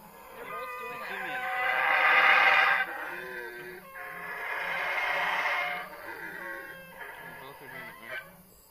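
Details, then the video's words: Male howler monkeys (only males make the call, it is said) give long, rasping roars that swell and fade, sounding vicious though not fighting, with people talking quietly underneath. "howler monkey noises"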